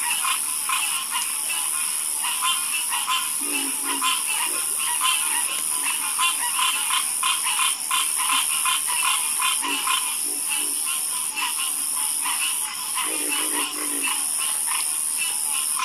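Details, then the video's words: Dense frog chorus with fast, rattling croaks packed closely, scattered lower-pitched croaks in short bursts, and an unbroken high-pitched hiss throughout. "Calming Sound Of Harmonious Frog Croaking"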